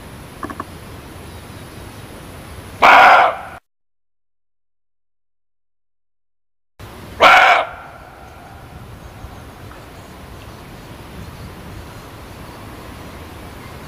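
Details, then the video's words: Muntjac uttering two rough, loud barks roughly four seconds apart, separated by a stretch of complete silence, with soft hiss before and after. "SUARA KIJANG"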